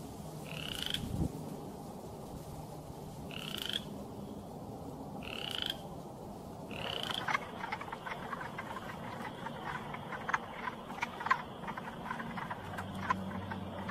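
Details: Frogs calling in Michigan: short rising chirps repeat about every two seconds for the first seven seconds, then give way to a denser mixed chorus of clicks and short notes over a steady low background hum.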